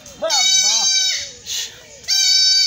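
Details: Kid goat being castrated in a Bangladeshi village: a man's voice is heard first, then a short shaky bleat, a pause, and a long, loud, sustained bleat at the end.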